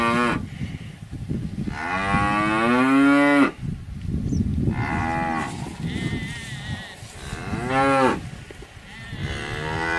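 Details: Cows lowing: a long, loud moo sliding down in pitch, then several shorter moos spaced a few seconds apart, each with strong harmonic bands, over a low rumbling background.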